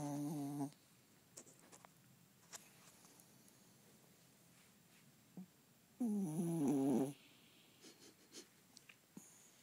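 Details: Pet dog snoring indoors: two loud, buzzy, droning snores under a second long, about six seconds apart, with quiet breathing and small clicks between them.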